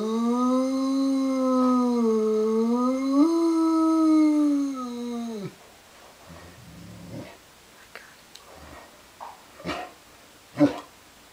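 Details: Gino the dog howling: a long, steady, tonal howl with rich harmonics that dips, then rises to a higher sustained pitch for about five seconds before breaking off, followed by quieter snuffles and clicks.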